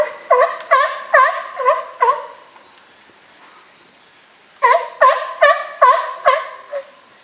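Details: California sea lions in a zoo group at Higashiyama Zoo and Botanical Garden, 12 September 2023, give two rhythmic series of about six resonant barks each, roughly one every half second, separated by a brief quiet pause.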